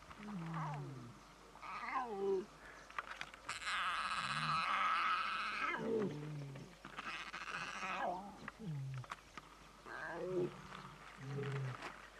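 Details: Lion cub begging its mother for a meal of milk, which she denies: repeated short, sliding whimpering cries every second or two, with a longer, rougher broadband wail in the middle.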